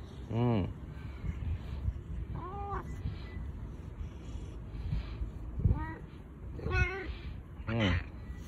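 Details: Husky-voiced boss cat Bu-chan, affectionate while no other cats are around, gives short, curved meows at uneven intervals, four distinct calls over low background rumble and voices.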